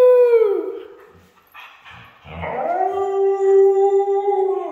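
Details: A red female Siberian husky gives drawn-out, wavering howls that dip, pause briefly, then rise into a long sustained note.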